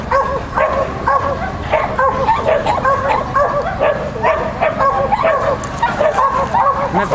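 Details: Shetland Sheepdog named Lesya at a Child and Dog competition on 31 May 2015, barking in quick repeated bursts throughout, with a child's voice giving commands nearby.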